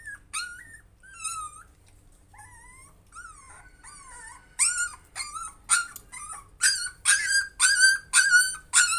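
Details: Puppy working to overcome fear: scattered high, wavering whines in the first seconds, then from about five seconds louder, harsher yelping whimpers repeated roughly every half second.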